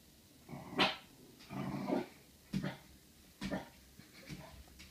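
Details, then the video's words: Corgi meeting its own reflection in a mirror, growling and giving short gruff barks in irregular bursts, some low rumbling between them, indoors. "Corgi meets mirror"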